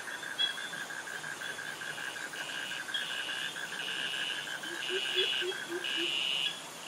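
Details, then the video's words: Insects in a Krabi, Thailand jungle, with cicadas and crickets: a rapid, even pulse train continues while louder, higher buzzy blocks begin about midway, and a short run of low chirps appears near the end. "Cicadas Virtual Walk Through Jungle - Krabi - Thailand with Cicadas and Crickets Sounds"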